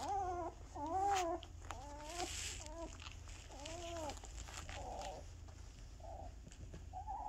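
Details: Two-week-old puppies of Bella, eyes newly open and beginning to walk, making a series of short arched squealing whines, roughly one a second, fading to softer muffled squeaks against a low background hum.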